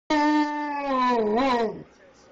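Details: A 14-month-old male Alaskan Malamute missing his owner gives a drawn-out, mid-pitched howl that sags, lifts briefly, then fades.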